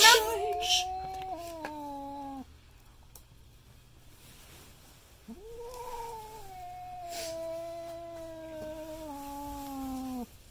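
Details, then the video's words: Indoor cat reacting in fright to a custom painted goat skull mask with two long, steady, slightly descending moaning yowls separated by a short quiet pause. "Cat Scared by Custom Painted Goat Skull Mask and Makes Crazy Noises"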